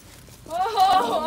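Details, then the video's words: Dwarf goat, one of five recently arrived at a neighbourhood farm, let out to pasture for the first time on 5 August after a period of getting used to the place indoors; a single wavering, nasal bleat lasting under a second. "Dwerggeiten van BuurtBoerderij De Nijkamphoeve voor het eerst de wei in"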